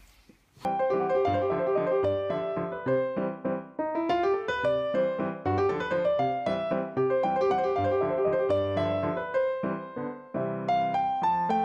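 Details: Lively piano music plays throughout, with quick running notes and chords and no animal sounds.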